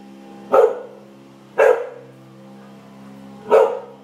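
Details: Norwegian Elkhound, one year old, barking at a lizard in a backyard: three short, forceful barks at uneven intervals, roughly one and two seconds apart, over a faint constant hum.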